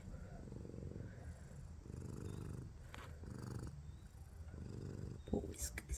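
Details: Sleeping cat snoring and purring, a low steady rumbling in long pulsing stretches broken by short pauses, with quiet human speech and a brief rustle at the end.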